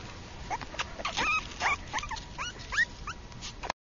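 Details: Pembroke Welsh Corgi puppy giving a run of short, high whimpering yips, rising and bending squeaks repeated every fraction of a second over a steady background hiss.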